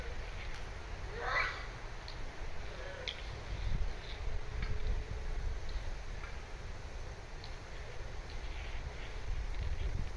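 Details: Japanese macaques on the monkey mountain at Hinotonton Zoo: one sharp squealing call sweeps steeply upward near the start. A shorter, fainter call follows about two seconds later, over steady low wind rumble and distant murmur.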